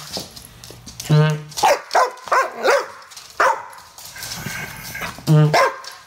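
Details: An English Bull Terrier cross with Staffy gives loud, harsh barks and growly yaps in uneven bursts, unimpressed at being teased with a garden hose, with some human voices.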